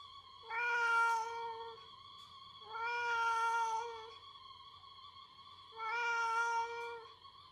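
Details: Pet cat Latte scolds its owner indoors after the owner pesters it for food, turning the tables on its usual demands: three long, drawn-out meows, each about a second or more, spaced roughly every two and a half seconds over a steady low hum.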